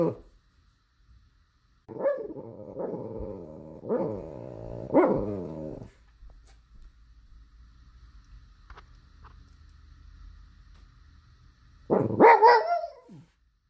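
A pug gives a series of hoarse, mid-pitched barks, then one more loud bark after a quiet pause.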